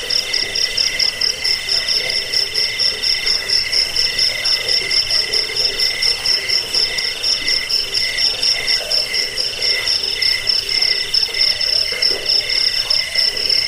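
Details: Cricket sounds offered to drive away rats, lull listeners to sleep and serve as master sound for training songbirds: a continuous high, shrill pulsing chirp in several stacked tones, beating roughly once per second, with no other clear sounds.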